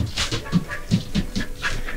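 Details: Border Collie named Maro, acting to keep dad all to itself, panting in quick rhythmic breathy puffs, about four or five per second, with a soft low thump under each breath.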